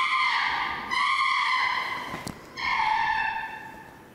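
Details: Chimpanzee Flynn screaming at Jambo, teeth bared: two long, shrill, harsh screams, the second starting after a brief pause, each held steady for over a second.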